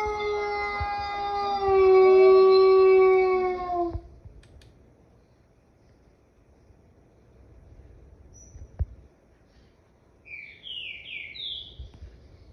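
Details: Wolf howl lasting about four seconds, smooth and strongly layered with overtones, swelling in the middle, then fading. Near silence follows, and a run of short, high, sliding yips closes the recording.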